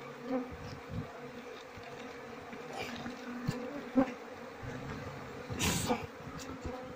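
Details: Queenless Asian honey bee colony with honey-laden comb; low steady humming drone with occasional nearer bees swelling past, a burst of broadband noise near the sixth second.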